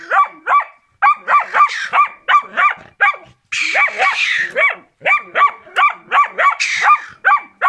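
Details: Karelian Bear Dog Rex barking hard during training: fast, evenly paced barks in near-continuous series, with a couple of rougher, noisier barks mid-clip.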